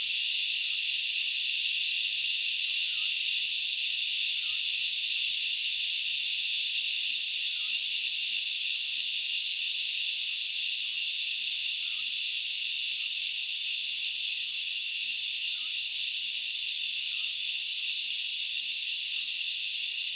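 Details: Grasshoppers sing in a dense, unbroken, high-pitched chorus that hisses steadily, recorded in the forest of Knuckles Reserve in the Central Highlands of Sri Lanka.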